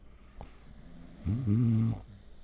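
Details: Sleeping female puppy snoring indoors: a single drawn-out, rumbling snore with a low buzzy tone holding steady for about half a second, preceded by softer breathing and a faint click.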